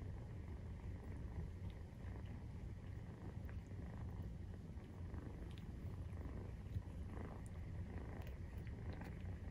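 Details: Maine Coon cat (Felis catus) purrs in a deep, steady, rumbling drone while nursing kittens about 43 days old.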